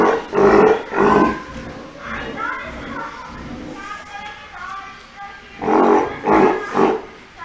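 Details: Young Steller sea lion, a pup about three months old kept at Ise Sea Paradise aquarium, Japan. Two rough bleats open the sequence, then a quieter stretch, then a further run of three calls about half a second apart.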